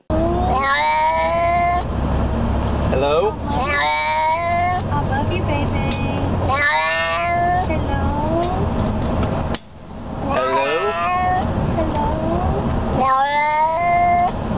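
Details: Cats saying hello, answering a person's repeated spoken hellos: a run of rising, drawn-out meows alternates with human voices, with steady background noise throughout.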